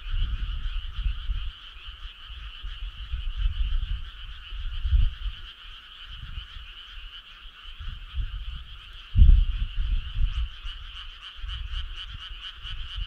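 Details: Summer-night frog choir with continuous layered trilling croaks. Sharper rapid pulses join in near the end, while a deep background rumble surges around nine seconds.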